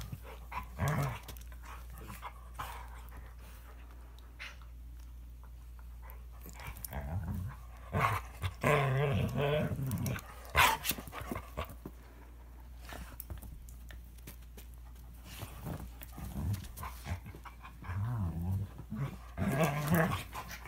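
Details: Toy Manchester terrier and Standard poodle in a vicious fight, mostly scuffling and clatter with a cluster of snarling growls around nine seconds and brief growls near the end.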